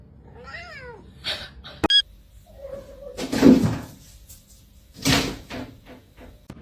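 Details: House cat making a short bending meow, then a brief flat chirp-like call, amid scattered knocks, rustling and room noise in a quiet indoor space.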